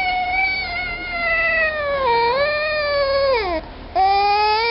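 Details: Rare baby African clawless otter, torn between eating, sleeping and singing, gives a long, steady, harmonic whine that dips in pitch midway, rises again, breaks off briefly, then resumes.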